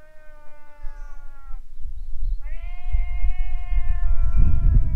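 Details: Stray cats squaring off in a fight in front of a boat: long drawn-out yowling wails, one steady tone sustained over a second, then a rising, wavering howl, over low rumbling background noise.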